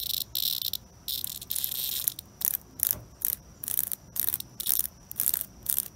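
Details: Cicada under attack from a European hornet, buzzing in rapid harsh bursts, roughly a dozen pulses of grating high-pitched rasp broken by short silences, some longer and some clipped short.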